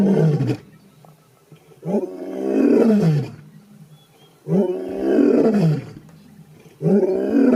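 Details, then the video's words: A lion gives deep, full-throated roars, each swelling and falling over about a second and a half; such roars claim territory and help locate other pride members. "Lion Roar Sound"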